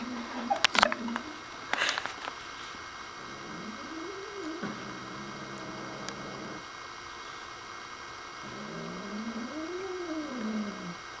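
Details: Pet dog Nigel, convinced his new toy is alive, lets out long moaning growls that rise then fall in smooth arcs, one held steady for several seconds, with a pause before a final arched growl; sharp handling clicks at the start.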